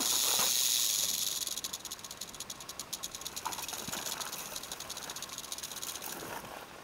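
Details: Rattling western diamondback rattlesnake, Santa Rita Mountains, Arizona, caught with a Panasonic Lumix LX5 camera: a loud steady hiss at first, then a rapid, fairly even dry buzzing rattle of about three to four beats a second that gradually softens.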